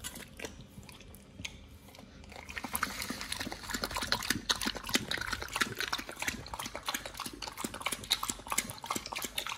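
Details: Pit Bull named nomyen eating a raw combo of sole, silver pomfret, Indian mackerel, duck feet and quail eggs; quieter scattered clicks at first, then dense wet crunching and rapid irregular bites from about two seconds onward.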